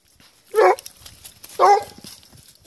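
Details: Plott Hound hunting wild boar, working a trail: two loud, harmonic baying barks about one second apart, each lasting roughly a quarter second, over a quiet background.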